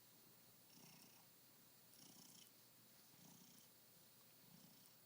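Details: Steady purring of Dancer, a happy cat newly adopted and only a few hours in his new room by the window sill; low throbbing rumble rising and falling about once a second in an even rhythm, quiet indoor setting.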